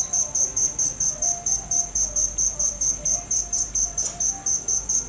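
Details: Evenly spaced, sharp cricket chirps, around two per second over five seconds, sounding bright and insistent above a low steady hum.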